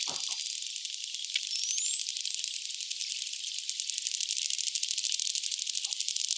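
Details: Dolphins underwater at Bahía Solano, Colombia: a dense, rapid train of clicks with a faint, thin whistle sliding upward.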